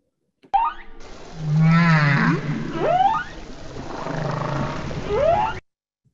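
Humpback whales vocalizing together: low droning moans overlapped by rising, whooping upsweeps.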